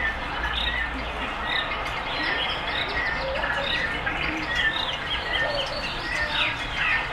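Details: Captive meerkats at West Midlands Safari Park in Bewdley, Worcestershire, England, in winter, climbing closer to a warm red heat lamp; many short high chirps and peeps overlap continuously with a steady low background hum.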